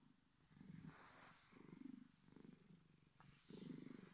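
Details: Bedford, a Bengal cat, gives his deep purr that sounds like a big cat's: low rumbling bursts rising and falling with each breath, about four swells across a few seconds, with a faint click midway.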